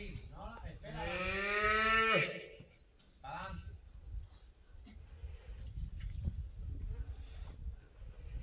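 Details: A female calf at a bullfighting school's private training session on a Spanish cattle ranch gives one loud, drawn-out bawl lasting about a second, rich and harmonic. Afterward there are brief voices and faint outdoor background noise.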